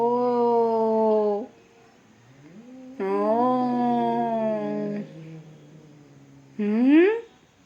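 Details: Two cats fighting give long, drawn-out yowls: a steady wail of over a second, a second wail swelling and falling, then a short cry rising sharply at the end, with quiet gaps between.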